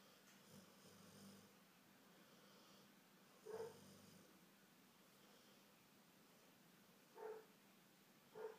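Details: Faith, a golden retriever, snoring while asleep. Short husky snorts come at irregular gaps, around three and a half seconds in, again near seven seconds and once more just before the end, over a low hum in a small room.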